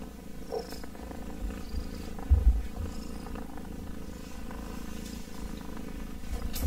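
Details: A kitten's close, deep purr, a steady low vibration with a brief louder bump partway through and occasional soft rustling on top.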